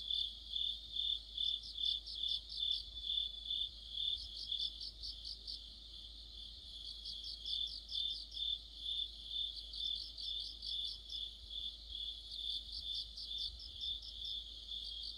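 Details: Crickets and other insects singing together in the depth of autumn, a steady high ringing tone overlaid by bursts of rapid pulsed chirps arriving in clusters roughly every three seconds, with a faint low hum beneath.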